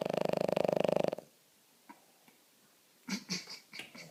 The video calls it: Boston terrier snoring (aka Roxy)